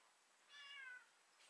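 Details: Siamese cat digging out through winter snow in Connecticut gives one faint, drawn-out meow of about half a second, with a tonal, slightly falling pitch, in a quiet setting. A brief soft knock follows at the end.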